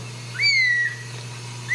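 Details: Ragdoll kitten that crawled out of the nest at a Kansas home cattery gives one drawn-out, high, gently falling cry, with a low background hum.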